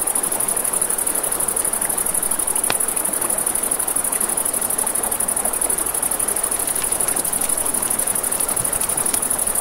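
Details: Crickets at night beside a river, a steady high-pitched pulsing chirr running unbroken throughout, layered over rushing river water and the snaps and pops of a crackling campfire.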